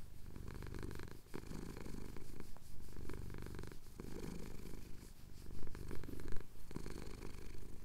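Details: Male domestic cat purring while having his chin scratched at sunrise over the Cotswold hills, recorded on a Tascam DR-07X: a deep, low rumble that swells and fades with each breath, broken by brief pauses and soft clicks.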